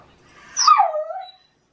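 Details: Shiba Inu calling early in the morning in autumn mating season, demanding a walk: one short tonal cry that starts high, then slides down and levels off into a falling wail lasting under a second, in a quiet room.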